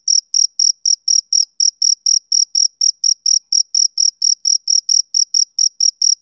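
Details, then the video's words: Chirping of a male cricket, summer evening: a regular train of short, shrill pulses at roughly four per second, crisp and uniform, with nothing else audible. "Cricket Chirping Sound Effect"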